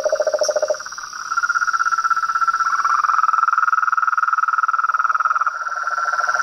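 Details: Frog and toad chorus: a brief low pulsed trill fades, a higher rapid trill takes over and holds, and the lower rattling voice rejoins near the end, all above a persistent high-pitched whine.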